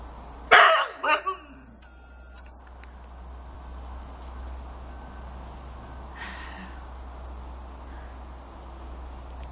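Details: Dogs squabble as Juno, a 7-month-old husky puppy, keeps trying to steal from Sadie, a 10-year-old American Eskimo/Beauceron mix: a sharp, loud bark followed by two quick yappy barks, then quiet room noise with a faint voice.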